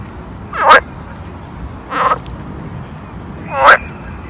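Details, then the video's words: A frog gives three short, raspy croaks, spaced about a second and a half apart, at a pond in summer. "[ASMR] Summer Ambience Pond Frog Sound"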